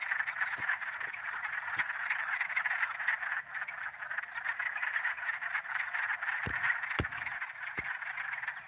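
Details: Wood frogs in early spring in Michigan give a dense, overlapping chorus of hoarse, duck-like quacking clucks.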